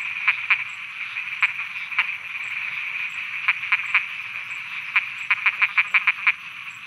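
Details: At night in Thailand, frogs call in scattered sharp croaks, singles and pairs, ending in a quicker run of six, all against an unbroken high droning chorus and a faint ticking overhead.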